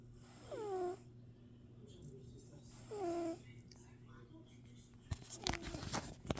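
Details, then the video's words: Cat snoring, recorded February 24th, 2026, at 1:15 PM: two whistly, nasal breaths that slide downward in pitch, about two and a half seconds apart, over a low steady hum, followed by sharp clicks and rustling. "Cat Snoring sound effects"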